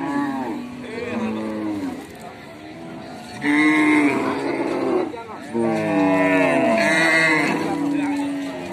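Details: Cows give repeated loud moos: a falling call near the start, then two strong, sustained bellows from about 3.5 and 5.6 seconds, rich in harmonics and sliding downward at their ends.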